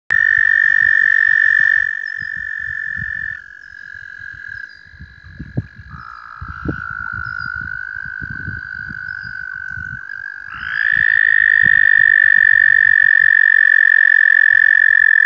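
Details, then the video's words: Huge spring congregation of frogs calling loudly on May 4th near Woodstock, New York: a dense, continuous high trilling chorus that dips in pitch midway and rises again, with scattered low knocking sounds underneath. "Frogs in the Spring"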